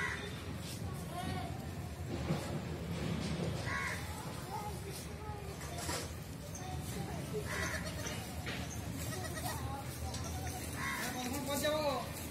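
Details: Goat kid with its mother giving short wavering, quavering bleats spaced every few seconds, several separate calls through the recording, over steady low background rumble and some human voices.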